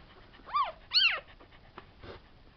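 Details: Tibetan Terrier puppies from a C litter born July 11, 2012, at a kennel in Hungary, giving two high, arched whimpering yelps in quick succession, followed by fainter squeaks and a soft click against a quiet background.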